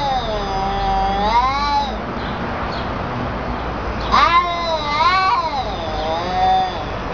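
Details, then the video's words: Fighting cats trading drawn-out yowling caterwauls, wavering up and down in pitch; one long wail in the first two seconds, then a louder rising-falling yowl from four to nearly seven seconds over faint background noise. "Wicked Crazy sounding Cat, Funny cat sounds"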